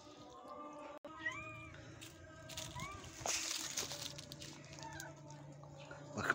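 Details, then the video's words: A mother cat that has moved her kittens to a new spot and is being given food calls to her kittens with short, rising-and-falling meows. "mother cat is calling the kittens"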